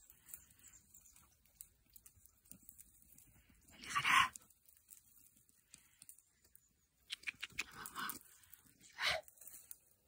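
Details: Young Podenco hunting dogs out for a training session give two sharp, harsh barks about five seconds apart, with faint rustling and scattered clicks between them.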